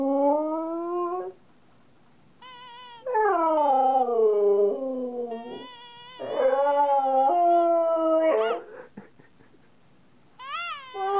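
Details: Husky Kai talking back to its owner in rising howls and drawn-out, sliding moans, separated by quiet pauses and ending on a short upward yelp.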